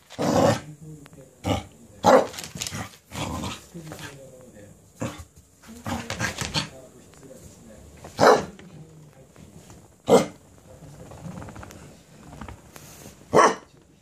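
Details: Cardigan Welsh Corgi gets excited and goes wild after being given a cabbage core. Sharp, loud bark bursts come irregularly, with rough growling between them and human speech throughout.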